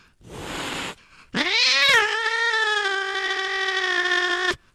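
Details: Cat sound meant to drive rats and mice out of the house: a short noisy hiss-like burst, then one long sustained meow that rises sharply and holds steady for about three seconds.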